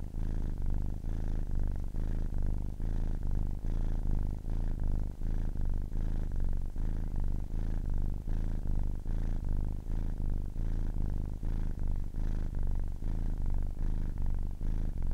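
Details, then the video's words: Long stretch of a ten-week-old kitten's purring, a sustained deep rumbling buzz that pulses evenly with breathing, many short cycles over fifteen seconds, steady level, no other sounds. "10 weeks old kitten purring"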